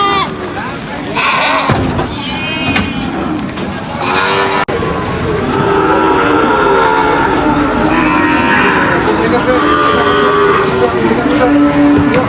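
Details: Cattle unloaded from a truck at a market; drawn-out wavering moos sound through the second half amid loud, busy background noise and people talking.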